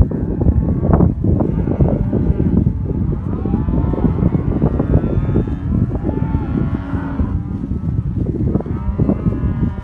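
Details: Black Aberdeen Angus cattle, heifers and cows of a herd in southern Córdoba, give a few quieter moos, one longer wavering low around the seventh second, over constant shuffling, hoof and handling noise.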